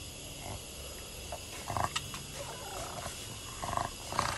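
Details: A female Boston Terrier stands crying at her owner, giving sassy, short, grumbling whines in a few brief bursts over a steady hiss.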